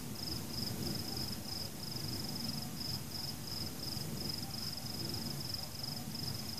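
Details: Crickets at night during fireworks give a steady, high, finely pulsed trill that runs almost without break. Deep rumbling booms from the fireworks fill the background. No people, pets, music or cars are heard.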